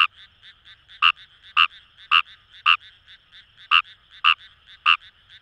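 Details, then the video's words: Wild rice frog calling in Itoshima paddy fields, Fukuoka: evenly spaced, emphatic croaks about every half second, nine in under six seconds, with softer frog calls chattering between them. "Wild Frog Call | ヌマガエル"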